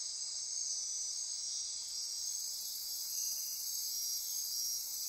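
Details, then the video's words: Midnight rainforest insects on Costa Rica's Osa Peninsula near Corcovado National Park, forming a continuous high-pitched trilling wall; a second, even higher hiss joins partway through and persists to the end. "Midnight Insect Chorus"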